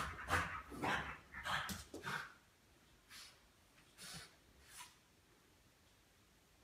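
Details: A Boston Terrier named Sam, going crazy, gives a quick run of sharp, excited barks, then a few softer, spaced yaps.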